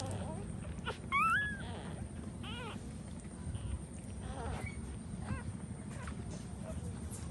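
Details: Puppies nursing from their standing mother dog; a loud, sharp rising whine with bright overtones early on, followed by several fainter short squeaky whimpers, all over a steady low rumbling background.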